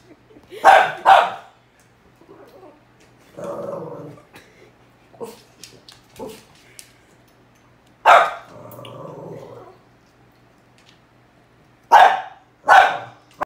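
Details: Pet dog barking at a cow hoof, pairs of sharp barks broken by low rumbling growls and scattered clicks and thumps, barks returning in quick doubles near the end.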